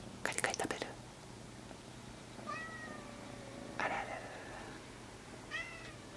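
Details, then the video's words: Kitten Monaka meowing hard in a tiny, high-pitched voice likened to a mosquito's whisper. There are three thin, faint, slightly drawn-out meows about a second and a half apart, after a short burst of rustling clicks at the start. "蚊のささやくような声で一生懸命鳴く子猫 Kitten Monaka Meows In Tiny Voice"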